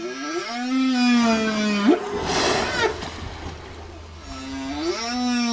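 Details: Whale song: a long harmonic moan ending in a sharp upward sweep, a noisy splashing burst in the middle, then a renewed rising and level harmonic moan.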